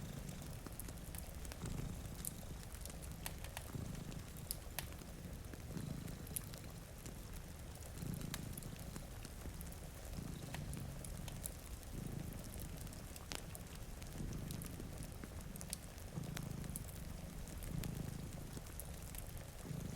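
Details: Low rhythmic purring from two cats asleep before a rainy window, each breath cycle a throbbing rumble lasting about a second, repeating every two seconds, overlaid by popping fire crackles and gentle rain.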